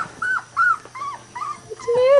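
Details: Three-week-old Weimaraner puppies of one litter playing indoors with new toys, giving a run of short whining whimpers that bend up and down, about five in two seconds, ending in a longer rising whine.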